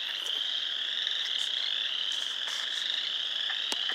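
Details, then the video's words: Frogs at a pond in Sanborn, New York, 29 March 2020, in full chorus: a loud, shrill, continuous wall of high peeping calls, with a few crisp clicks and short chirps scattered through it. "More frogs making noise"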